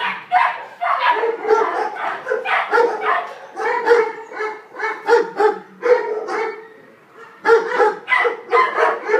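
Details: Female German Shepherd (Alsatian) puppy, about five months old, a stray handed in near Weymouth for adoption, gives a near-continuous run of high, yelping barks with a few short gaps.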